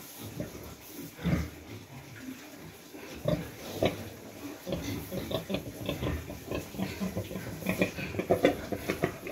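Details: Domestic pig sounds from a pen holding a sow that has just farrowed, with her piglets, during the cold season; rice hulls are laid as bedding and the piglets are warmed. Short low grunts and squeals come in bursts, with voices in the background.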